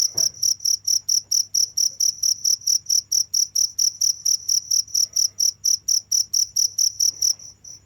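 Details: Cricket chirping steadily, a high pulsed tone with a faint overtone, roughly two chirps each second, stopping just before the end, over a low steady hum.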